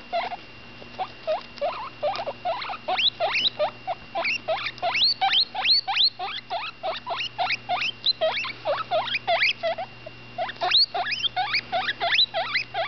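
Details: Ten-day-old female guinea pig pup vocalising with her mouth full as she eats; a dense run of sharp upswept squeaks, fast and irregular, nearly continuous, over a low constant hum.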